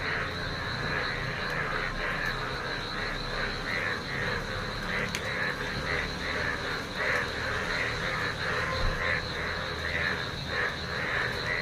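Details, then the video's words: A dense frog chorus from a rain-filled neighbourhood field in wet weather. Steady, pulsing calls overlap continuously over a low background rumble and a persistent high-pitched drone. "বৃষ্টি ভেজা দিনে, সঙ্গে ব্যাঙেদের গানে"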